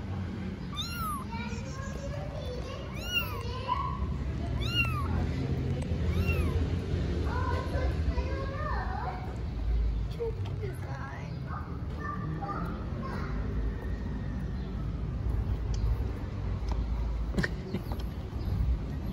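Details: Newborn street kittens in Istanbul searching for their mother give a quick run of high arched meows in the first half, then fainter calls mixed with a woman's speech and low background noise.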